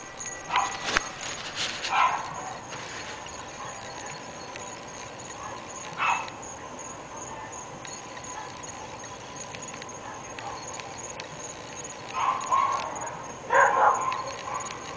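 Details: Several of three pet dogs barking at a neighbour's home in North Bay Village, heard but unseen; sharp scattered barks in short clusters with long quiet gaps, over a steady high electrical hum.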